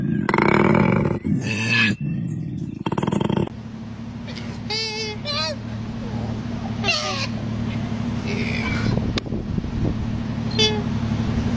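A koala gives loud, rough, pulsing grunts, followed by a steady low hum and scattered squeaky calls.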